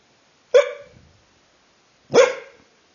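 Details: A pair of sudden, sharp barks from a sleeping dachshund, spaced about one and a half seconds apart, each decaying quickly into silence, with a faint low huff after the first.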